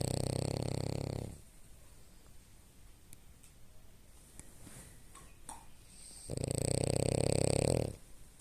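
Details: Female French bulldog asleep after going to bed, snoring: two long, loud, rasping low snores, one at the start and one about six seconds later, with quiet breathing and small soft noises between them.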